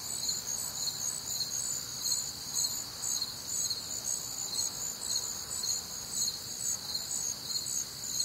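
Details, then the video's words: Crickets on a warm, humid Midwestern summer night, a dense chorus of high, shrill chirps pulsing about twice a second in overlapping layers, steady throughout with other nocturnal callers blending into the wash. "Night Time Cricket Sounds"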